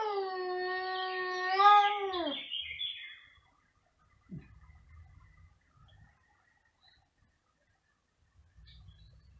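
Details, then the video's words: A domestic cat yowls very loudly, one sustained, slightly wavering tone that drops sharply at its end, followed by faint shuffling and quiet room noise; two cats are present. "2 tenor cats in concert | Meowing very loudly"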